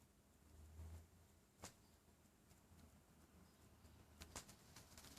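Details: A 3-month-old Shih Tzu puppy with hiccups gives sharp, soft clicks a few seconds apart against a low hum.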